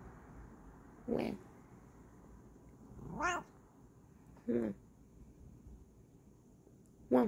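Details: Kokoa, a Bengal cat, meowing four times at irregular intervals of about one to two seconds, each call a brief harmonic rising-falling cry, with low indoor hum beneath.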